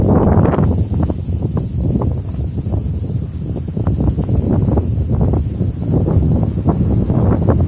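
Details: Start-of-summer cicadas keep up a constant thin, high buzz while wind roars steadily through rustling foliage.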